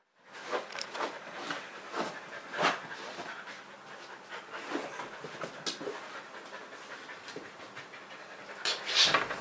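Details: Kerry Blue Terrier, a pet dog, panting when he wants to play: quick breathy bursts of noise repeated through the clip, with louder huffs near three seconds and at the end.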